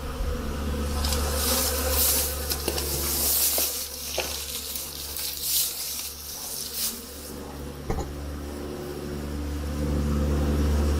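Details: Honey bees at their hives in the honey hut on a spring day, snow melting and the temperature up to 50 degrees Fahrenheit; a steady low buzzing hum in layered bands, with scattered crackling handling noises and brief clicks.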